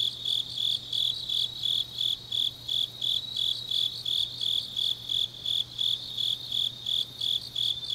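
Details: Night-time autumn grass insects in Changnyeong, South Korea, give a regular train of shrill, evenly spaced chirps, almost three each second, over a soft background insect chorus and a faint steady low hum.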